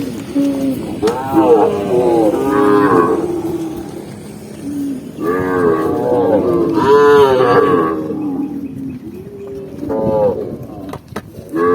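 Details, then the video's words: Tame cows walking on a green forest path, several overlapping moos and lower grumbling calls from the herd, fairly continuous with brief louder peaks. "cow sound cow Moo"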